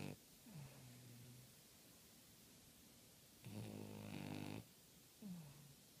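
A French Bulldog snores with deep, throaty rumbles, some gliding downward in pitch. The breaths come unevenly, with a louder, rattling snore in the middle of a quiet room.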